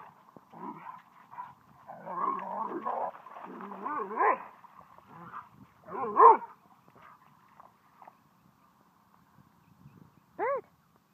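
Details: Dog barking at a dog park during play, a dog named Kaido trying to invite a yellow lab to chase him; a few sharp, high, arching barks at uneven intervals over a low murmur of background noise.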